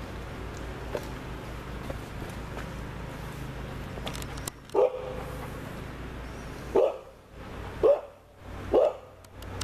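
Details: Dogo Argentino barking, with four deep single barks in the second half, the last three about a second apart, over a low background hum and some faint clicks.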